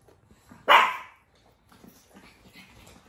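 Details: Four-month-old pug puppy giving a single sharp, loud bark indoors, a short burst that fades quickly into near silence with faint low rustling afterward.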